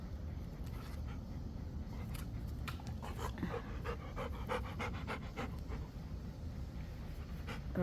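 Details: Panting Rottweiler during ball catching play: rapid breathy huffs in loose bursts, densest in the middle seconds, over a constant low hum.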